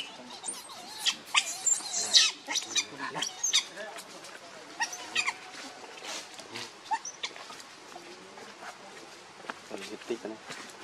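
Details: Baby monkey named Leo, also called Rainbow, crying and begging its mother for milk while hungry: sharp high squeals and broken chirps in uneven bursts, thickest early on, then sparser short cries over a faint rustling background.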